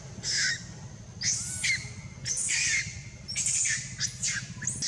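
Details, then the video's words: Baby monkey crying loudly while monkeys mate: harsh, high screeching bursts about half a second long, repeated roughly once a second with uneven spacing, over a low steady background hum. "baby monkey crying louder"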